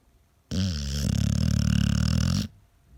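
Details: Sleeping American Staffordshire Terrier gives a single loud snore of about two seconds, deep and rapidly fluttering, starting with a wavering rise before settling into a steady rumbling buzz, then silence.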